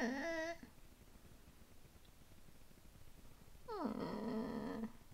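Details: Yorkshire terrier puppy playing for the first time in its new home, growling indoors: a short voiced harmonic growl at the start, then a longer one that slides down and holds low, with quiet room noise between.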